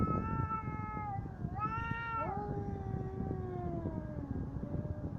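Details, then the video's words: A loud, harmonically rich cat yowl during a fight, steady at first, then swelling upward into a higher wail before easing down into a long falling moan, against low background noise. "Коты батл."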